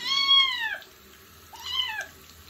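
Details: Street kitten during its first bath: two clear, high meows, the first long and falling at the end, the second shorter and arched, over faint running water.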